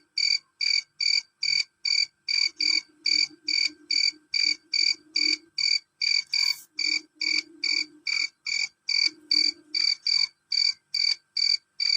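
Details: Shrill, loud chirping of a male cricket: crisp high-pitched pulses in a steady run, a little over two each second, while a soft low hum comes and goes behind them.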